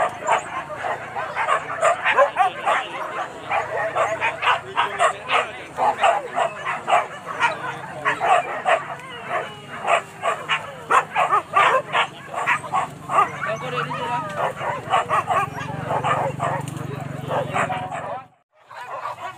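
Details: Dogs hunting wild boar at Kayu Ampek in Tanjung Emas, Tanah Datar regency: steady, rapid barking from several dogs, sharp repeated barks almost nonstop for about eighteen seconds before a brief silence, faint voices behind.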